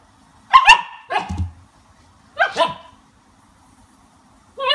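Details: Two-month-old Siberian Husky puppy reacting after tasting lemon for the first time: a few sharp, high yelping barks in two pairs, separated by quiet gaps, with another yelp starting at the end.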